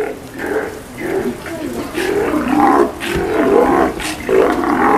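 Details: Several Steller sea lions held at Kamogawa Sea World, Japan, call during their meal on 2 January 2017: rough, throaty roars repeated about once a second, with sharp clacks and splashy bursts between them.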